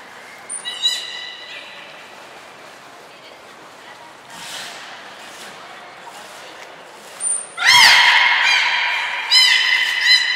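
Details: Beluga during pool transfer and training at Port of Nagoya Public Aquarium, 14 March 2021, with Hodoi, Taanya and Mirai; faint calls and a high thin tone early, then loud stacked squeals with falling onsets, murmuring voices between.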